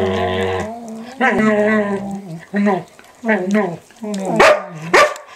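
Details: Two standard poodles in a daily office play ritual; 8-month-old Micah nibbles the older dog's face and ears, giving a series of warbling whines and groaning vocal bursts separated by short pauses, ending with two sharp yips.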